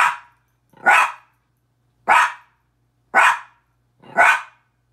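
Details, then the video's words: Min pin Petey confronting his reflection in a mirror with a regular series of about five sharp, loud barks, roughly one per second, each short and high-pitched, over quiet background. "Minature Pinscher barking"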